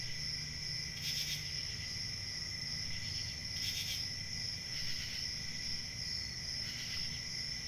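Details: Crickets chirping at night: a steady, unbroken high-pitched trill with a second lower continuous tone, swelling into brief brighter bursts every one to two seconds over a low rumbling background hiss.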